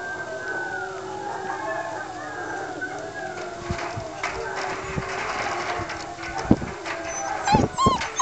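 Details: Old English Foxhound pups being woken for their afternoon feed howl and whine together in overlapping, wavering high cries.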